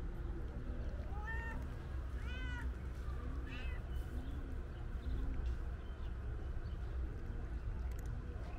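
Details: Loud meowing from a calico stray cat that seems to want to tell something; three arched, harmonic meows in the first four seconds, then quieter low murmurs, over constant low background rumble.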